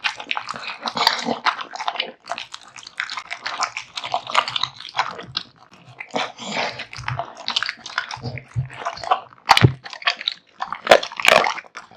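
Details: Male American Bully devouring a large meal of raw meat and bones, a steady stream of crunchy gnawing and wet chewing with a few loud sharp cracks of bone.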